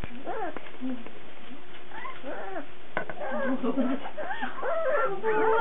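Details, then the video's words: Young Cardigan Welsh Corgi puppies whine and squeal in short arched, rising-then-falling cries, overlapping and growing busier and louder toward the end. "Puppy 20080317 Cardigan Welsh Corgi 01"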